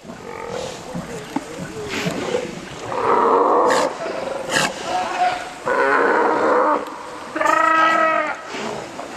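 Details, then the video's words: Sea lions at Pumalin in Patagonia: rough, harmonic bellows rise out of a murmuring colony background, three long loud calls of about a second each arriving in the second half, with shorter grunts scattered between them. "Lobos Marinos"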